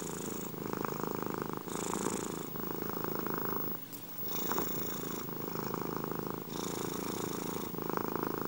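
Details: Domestic cats purring close to the microphone, a rhythmic throaty vibration shifting between breaths about every 1.2 seconds, with a short pause and a faint tap midway.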